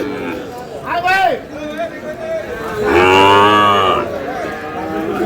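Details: Sahiwal cattle where a farmer from Dhaka buys a Sahiwal bull calf, 27 April: a short arching harmonic moo near one second, then a longer, louder, steady low moo lasting about a second, with people chatting nearby.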